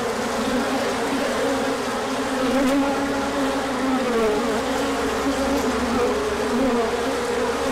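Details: Honeybees swarming out on a large orientation flight as the sun appears after colder days, 24 March 2024; a dense, steady buzzing hum of many wings, with gliding tones weaving around a low drone and no other clear sounds.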